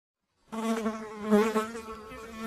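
A fly buzzes with a steady, droning hum that starts abruptly and carries on evenly.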